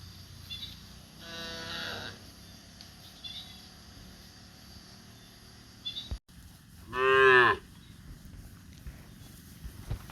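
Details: On cobblestone streets in India, a cow walking leisurely gives a loud, drawn-out moo, with a fainter, lower moo shortly before.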